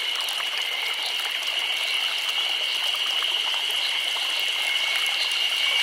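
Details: A chorus of cicadas in summer in Nagano Prefecture, Japan, makes a steady, high, shimmering drone that holds without a break.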